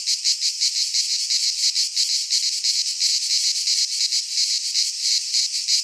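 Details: In a Greek pine forest at midsummer, a cicada chorus makes a loud, shrill, pulsing buzz, beating roughly three times a second with slight swells in volume.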